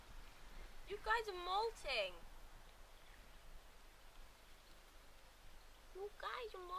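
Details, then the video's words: Seven Labrador Retriever puppies at 37 days old, wrestling roughly: a burst of rising-and-falling yelping whines in quick succession, a pause of soft background hiss, then another short wavering yelp near the end. "seven labrador puppies day 37"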